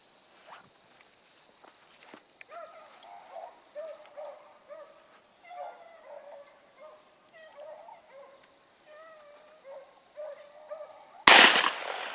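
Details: Rabbit hounds on a morning hunt at Salt Lake WMA, 2 February 2018, including a young Oakhill pup running rabbit circles; distant repeated baying notes from several dogs, ending in a loud burst of noise.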